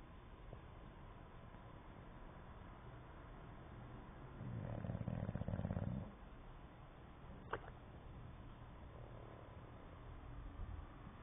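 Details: Sleeping English Bulldog (Canis lupus familiaris), lips flapping as it snores, gives one deep, rattling snore lasting about two seconds, then the room goes quiet.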